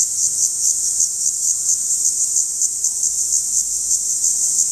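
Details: Periodical cicada singing close up: a continuous shrill, high buzz with a fast, regular pulsing flutter.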